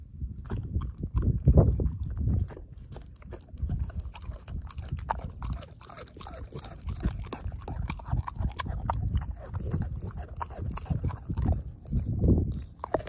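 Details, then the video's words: Dog named Ozzie devouring a pork steak, jaw chomping and mashing the bone; low thudding bites and wet chewing in irregular bursts, louder surges near the start and end, with scattered sharp clicks. "Dog Eating Pork Steak"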